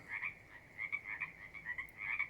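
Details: A frog sings outdoors in summer among chirping crickets, in repeated pulsed, trilling bursts of several short phrases in quick succession.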